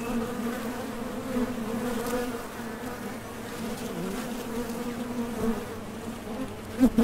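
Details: Honey bees at a Top Bar Hive entrance, arriving and departing on nectar-collecting flights, give a soft continuous droning hum; the buzz stays level, rising to a sudden loud close fly-by just before the end.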